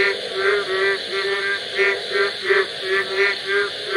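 A night chorus of frogs, with low, reedy, harmonic notes pulsing roughly three times a second.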